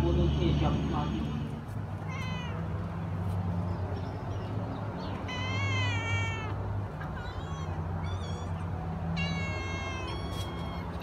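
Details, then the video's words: Domestic cat among rescued stray kittens and cats kept at a home, giving three clear, drawn-out wavering meows spaced a few seconds apart, the middle one long and falling, over a low steady hum and soft background voices. "Meow Meow of cat"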